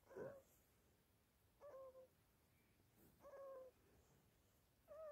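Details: Toby, a teething Chihuahua puppy kept awake all night, lets out thin whining cries, each a brief level or slightly falling tone, about four over five seconds, with quiet background.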